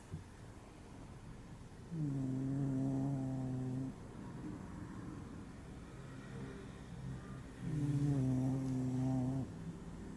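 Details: Deeply asleep and worn out, a pet dog snores, paying no attention to the camera. Two long, even, humming snores of about two seconds each come roughly six seconds apart, with faint breathing between them.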